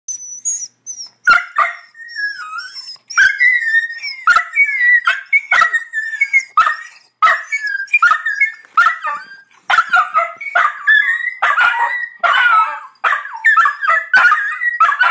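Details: Two or more Dachshund brothers join in a chorus of high, quavering howls that rise and slide in pitch, with short, sharp yips and barks cutting in between the longer mournful notes. Dachshund.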